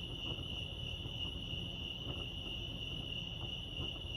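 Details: A continuous, shrill cricket trill from Lake Arrowhead, California, steady and unvarying over a soft low rumble, with only faint ticking sounds in the background.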